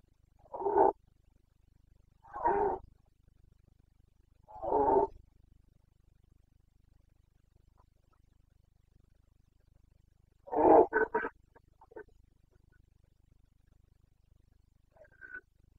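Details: Carpathian stag, a red deer, in breeding season in the Bucovina forests, Romania, September 2022: three loud, rough roars spaced about two seconds apart, then a pause and a final roar broken into stuttering grunts.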